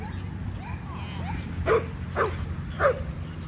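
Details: Jah, a pet Chihuahua, out at a dog park before Thanksgiving, gives soft whimpering squeaks, then three sharp barks about half a second apart, with low background rumble.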